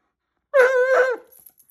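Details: Alaskan Malamute, said to be so loud it hurts its own ears, giving one short, very loud, harmonic howling call in two linked parts, steady then wavering, lasting under a second in a quiet indoor room.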